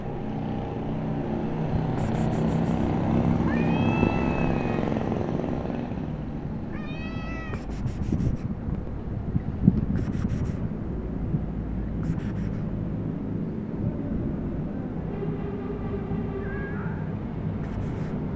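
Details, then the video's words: Black cat meowing as if wanting to tell its owner something; a few drawn-out, rising-and-falling meows around the middle, with shorter calls near the end, over a steady low rumble of traffic or engine noise. "Black cat meowing want to tell me something"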